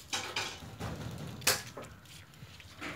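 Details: Kitchen clatter of dishes, cupboard knocks and a sharp metallic clink fill a quiet room, with no animal calls.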